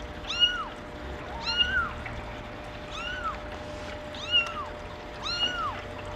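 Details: Maine Coon kitten, a female born April 28, giving five bright, high-pitched meows, each rising then falling, spaced roughly a second apart over a quiet background.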